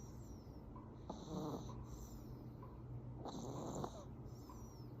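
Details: Affenpinscher dog snoring in its sleep, two drawn-out rasping breaths about two seconds apart, each with a faint high whistling edge, over a low steady indoor hum.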